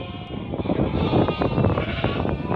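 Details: Merino sheep imported from Hungary, a flock being looked over by a buyer from Turkey: a dense, loud chorus of many overlapping bleats with continuous background din.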